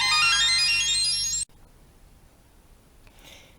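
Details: A short rising jingle of chimes stops abruptly, followed by quiet room noise and a faint brief rustle, with no animal sounds.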